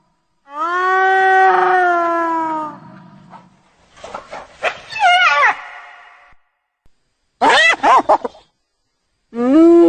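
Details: A hyena produces a long, steady, howl-like call, then quieter broken notes and quick chattering bursts that rise and fall, before another loud drawn-out note begins.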